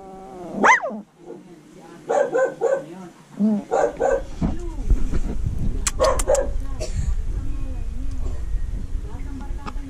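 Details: A small Shih Tzu/Maltese mix (malshi) gives a rising yelp, then short bursts of high, tuneful barking and half-howls.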